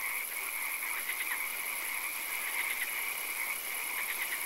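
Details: Night swamp frog chorus with many callers trilling together, short pulsed bursts rising over a continuous buzzing drone and a steady high-pitched hiss.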